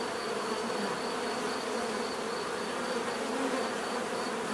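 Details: Steady bee hum: many overlapping buzzing wings form a dense unbroken drone, with brief louder passes and a faint thin high tone running throughout.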